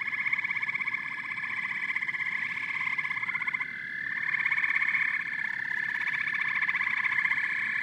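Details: Steady nocturnal-sounding chorus of frogs and toads: many callers giving buzzy pulsed trills at once, one brief sliding note near the middle, overall even and unbroken.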